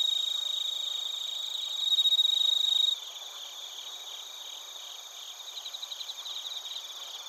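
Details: Crickets including bell crickets in Narita, Chiba, Japan, captured with a TASCAM Portacapture X8: a loud, pure ringing tone for the first three seconds gives way to a softer chorus of fast, evenly pulsed high trills.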